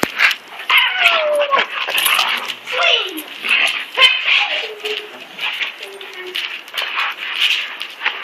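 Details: Koody, a German Shepherd–Rottweiler mix, and Kobe, a German Shepherd, mock-fighting in play: high whines that slide downward, short yips and rough growling bursts follow one another over constant scuffling noise.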